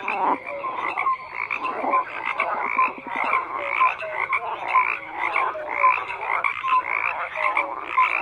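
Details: Many frogs calling together, a continuous mix of raspy croaks and short clear piping notes repeated roughly every second, with a burst of rapid rattling pulses near the start.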